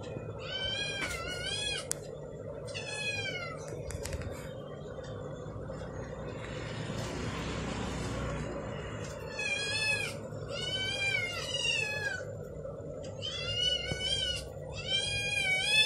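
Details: Pet kittens howling while Damri eats an egg: repeated loud, wavering meowing howls, about six drawn-out cries in bursts over roughly sixteen seconds, with a steady low background hum and a brief rushing noise in the middle.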